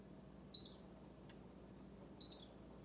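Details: Baby squirrel close to Bushy, an orange cat, squeaking as the cat's tail twitches in time; two sharp high squeaks roughly 1.7 seconds apart over a quiet indoor hum.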